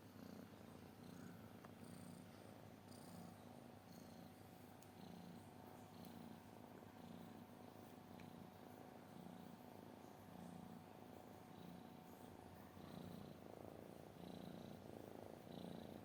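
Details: Cat purr, a continuous low rumble pulsing in regular inhale and exhale cycles of about a second each, sustained throughout, with faint bird-like chirps high above.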